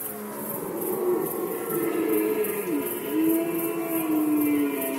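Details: A red deer roar from the Polish rut season of 2020, a strong moaning bellow with rich harmonics that dips and then levels off over five seconds. Regular high insect chirps pulse behind it.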